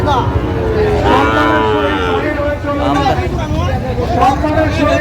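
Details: Sahiwal bull calves at a cattle market on 19 May 2025, during bargaining for a Jamalpur farmer: a drawn-out moo with curved harmonics near one second, then a fainter one, over steady crowd chatter, speech and vehicle noise.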